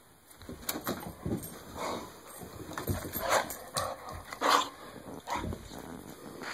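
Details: Shaking a Kong bone during play, a dog lets out a run of rough huffs and low growls with a brief whiny note, the bursts coming irregularly over steady background hiss and toy knocks.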